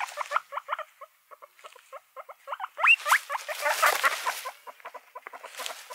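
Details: Guinea pigs produce short, clipped squeaks in loose clusters. A single clear rising whistle follows, then a burst of loud rustling noise. Softer squeaks continue through the shuffling.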